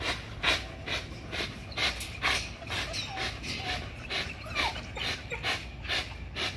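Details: Working on a spring pole, an XL American Bully pitbull pants steadily, each heavy breath a hissing puff repeated roughly every half second in a fairly even rhythm.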